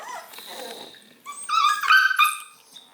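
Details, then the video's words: Redbone Coonhound puppy whining indoors while Tigger the cat grooms him: after a soft, muffled start, a high, clear, wavering whine with rich overtones runs for about a second and tapers off. "Whiny Redbone pup"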